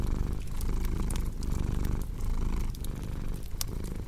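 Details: Rumbling purr from a cat, rhythmic inhale and exhale phases roughly every 0.7 seconds, accompanied by bright clicking crackles of a burning fireplace.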